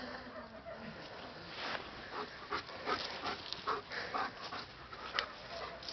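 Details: German Shepherd searching for kittens that fled across the way when they saw him, dated 11-12-11; quick broadband sniffs and huffs in short irregular bursts, with a few faint whimpering tones among them.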